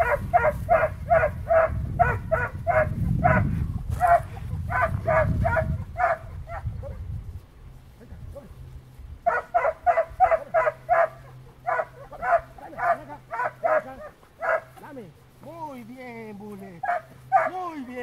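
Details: Five-month-old Brittany puppy working on point and retrieving, giving rapid repeated sharp barks in steady bursts, a pause, then more barking ending in higher yelping whines; low rumbling noise early on.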